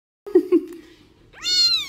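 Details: Domestic cat giving a short meow: a low tone after two brief voiced pulses, then a rising, harmonic-rich cry that levels off, with a person's voice heard alongside.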